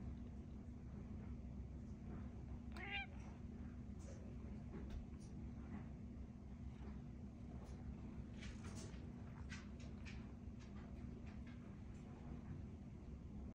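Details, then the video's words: Malia, a pet cat, says hey in greeting: one short, rising-then-falling meow near the start, followed by scattered clicks and light tapping over a steady low indoor hum. "Malia the cat says hey"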